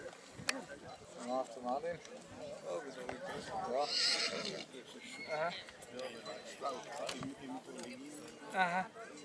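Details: Black Forest draught horse whinnies at the foal show in St. Märgen, Germany, on 11 August 2022, where filly foal Feine Rosella, born April 2022, was shown; several wavering, quavering neighs rise and fall over steady crowd chatter.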